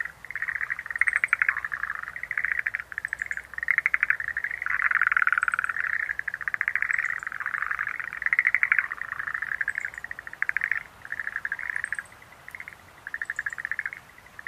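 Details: Schlegel's green tree frogs, Rhacophorus schlegelii, in a dense continuous chorus of rapid pulsed croaks around the middle pitch, with faint high chirps from insects or birds repeating above.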